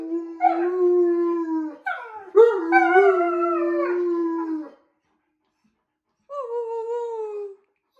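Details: Alaskan Malamutes howling: a long, level howl is joined by a second, higher, sliding voice, and both trail off together. After a pause of about a second and a half, one shorter howl falls slowly in pitch.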